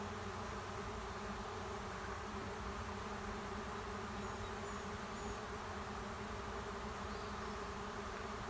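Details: Swarm of honey bees moving into an empty hive at the end of a driveway: a dense, steady droning hum of many wings, even in loudness throughout, with no other clear sounds.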